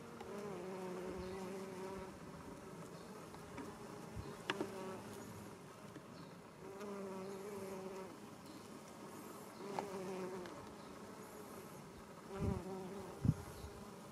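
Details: Foraging western honey bee workers among English lavender in a roadside garden in Japan, sunny afternoon in mid-July: droning buzz in repeated swells as bees come and go, with a few sharp knocks and low thumps.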